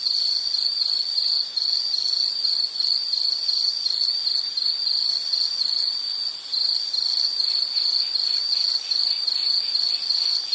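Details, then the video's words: Steady high insect trill, a bright narrow tone beating in quick even pulses for the whole stretch, with soft background hiss and nothing else audible. "Nature Sound of nature sounds scenery L · insect"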